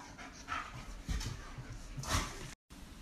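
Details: Timber and Indi, 8-month-old wolfdog puppies kept in by a rainstorm and restless without exercise, give breathy panting bursts and a short huffing vocal near the end, with room noise.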